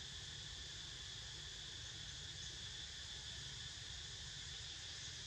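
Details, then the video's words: Continuous cicada chorus: a dense, even, high-pitched hiss-like buzz that holds without pause, with a faint low rumble beneath. "Snoozing To The Sound Of CICADAS"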